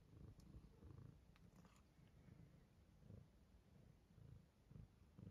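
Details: British Shorthair cat, a young male born in May 2023, waking up and eating, purring a low steady rumble that swells in soft pulses about twice a second, with faint clicks overhead.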